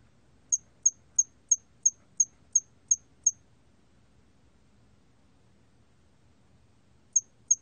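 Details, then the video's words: Hairy cricket in a 2020 recording: eight quick high chirps in a regular row, a pause of nearly four seconds, then two more chirps starting again. "털귀뚜라미, 여러번 듣기, 곤충소리"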